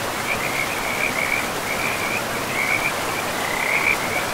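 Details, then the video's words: Forest frogs calling beside a river: bright, high trills come in quick bursts about once a second, one standing out near the end, layered over constant hissing river noise. "River and Frogs sleep sounds"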